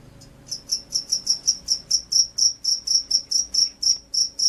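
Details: Jangkrik sawah, the field cricket, singing gacor-style: a fast series of bright, high-pitched chirps, roughly four a second with slight unevenness, about seventeen in a short burst, against a quiet low hum.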